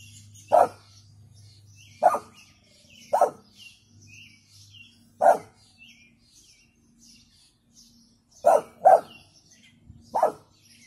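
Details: Weak warning barking from a female brindle American Staffordshire Terrier: about seven brief, muffled barks at uneven intervals, two in quick succession near the end, with faint bird chirps and a low hum behind.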